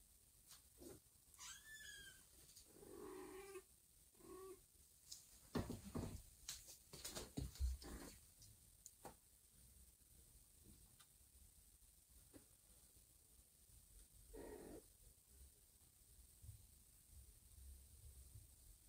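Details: Domestic cats indoors: a mother carrying her growing kittens one by one in her mouth to a new, safer spot, including a foundling kitten. Kittens give loud, high, bending meows early on, then lower, shorter cries among thumps and handling noise.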